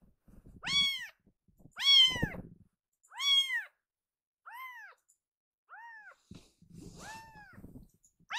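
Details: Loud crying from a rescued baby kitten that stops once held and starts kneading: six arched meows, the first three strong, later ones softer and shorter, with faint rustling and handling noise between calls.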